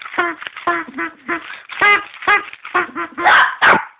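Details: A dog named Bruno gives a rapid run of short, nasal yelping barks, some of them slightly honking, packed closely together over a few seconds.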